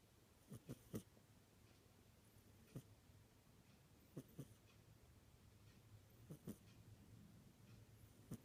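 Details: Indoor cat snoring, short rasping snorts in twos and threes at irregular intervals of one to two seconds, faint against a low room hum.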